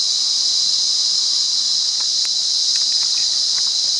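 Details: Continuous high shrilling of a wild cicada at Monaragala, Sri Lanka, level and unbroken, accompanied by a few brief faint clicks.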